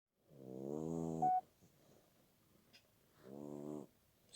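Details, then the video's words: Sleeping puppy snoring indoors: two rasping, buzzy snores with a rich harmonic hum, the first about a second long, the second shorter after a quiet pause of nearly two seconds. "щенок храпит"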